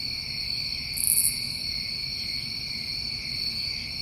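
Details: Crickets chirping through a New England summer night: an unbroken high, shrill chorus of stacked trills, with a single sharp, very high buzzy burst around one second in and a faint low hum.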